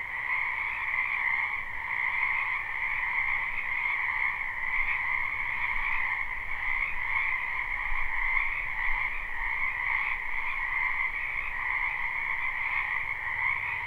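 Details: Spring wetland frog chorus recorded live, many frogs croaking together: an endless overlapping trill that holds steady throughout, bright and high, with faint low rumble underneath and no other animals standing out.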